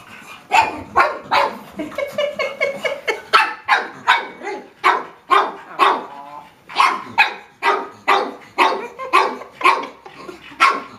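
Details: A pug barking at a watermelon indoors: a long run of sharp, high barks, irregular at first with some whining tones, then steady about every half second.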